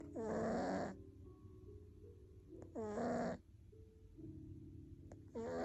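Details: Fifteen-year-old male British Shorthair cat snoring: three drawn-out, throaty, tonal snores, each about half a second to a second long and roughly two and a half seconds apart, over a steady faint hum.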